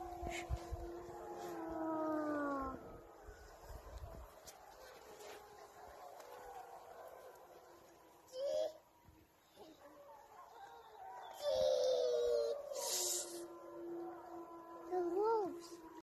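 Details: A pack of gray wolves on a riverbank near Drayton Valley, Alberta, Canada, in September, howls back after people howl to them, long sliding tones overlapping into a wavering chorus; gray wolf.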